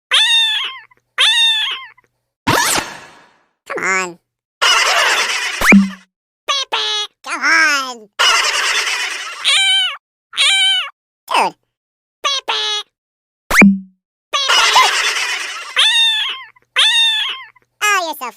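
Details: Cute cat meowing repeatedly, with drawn-out, wavering meows that rise and fall, arriving about every second, mixed with a person's voice encouraging it and laughing.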